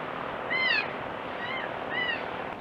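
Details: Goat kid crying in three quick, tonal bleats that dip at the end, the first strongest, heard over a dense hissing background.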